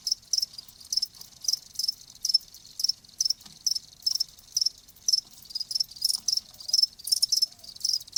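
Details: Cricket chirping, offered as a soothing sound for tinnitus: high, thin pulsed chirps repeated steadily about two per second, with several overlapping callers and no other clear sounds.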